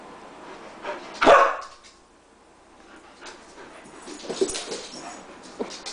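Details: Wild dogs running around a house: one loud, sharp bark stands out early, followed by quieter scattered yips and rustling movement.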